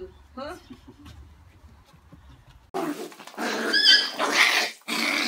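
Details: Shiba Inu puppy named Akira, between five days and six weeks old, gives a sudden loud, harsh squealing outburst after a quiet opening of soft rustling, broken by one brief pause before it resumes.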